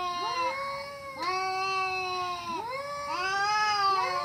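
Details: Fighting cats yowling continuously, several drawn-out harmonic wails overlapping, each swooping up then sliding down, with sharp restarts roughly every second or so.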